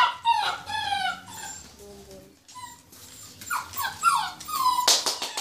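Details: Purebred Rhodesian Ridgeback (Lion Hound) puppies without pedigree, born 14 February 2016, give high, harmonic whines and yelps that slide downward in pitch. The cries come in quick overlapping bursts, with a sharp clatter near the end.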